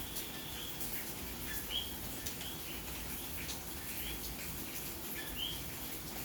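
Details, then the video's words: Rain falls steadily at night in Santurce, San Juan, Puerto Rico, in May, as a common coquí gives a few high, upward-sliding chirps spaced several seconds apart, with fainter calls in the background. "Noche de lluvia y coqui en Puerto Rico"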